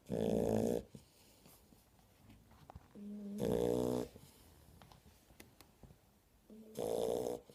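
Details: Sleeping Shar Pei puppies give rough, vibrating snores about every three seconds, each loud rattle preceded by a short nasal whistle, in a quiet indoor room.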